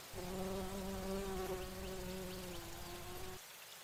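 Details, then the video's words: Bumblebee flying among flowers while drinking nectar, a continuous low steady hum with stacked overtones, slightly wavering in pitch, stopping abruptly near the end. "Bee humming / buzzing sounds | Bumble"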